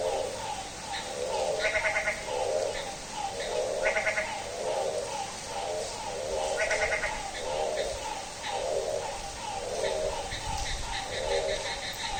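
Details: At midnight in rain, a frog gives bleating, goat-like calls, pulsed and nasal, repeating about once a second, while higher buzzy rattles from other frogs break in now and then over a steady hiss.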